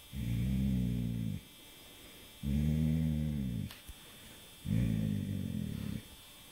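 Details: Rudy, a dog, snoring while asleep in darkness a week before he died; three long, low, vibrating snores at steady intervals, with one faint click between the second and third.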